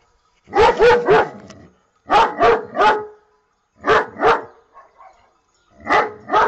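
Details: Pet dog barking in short bursts of two or three sharp, harsh barks, the groups separated by brief pauses of about a second and repeated four times, with faint soft noises in one gap.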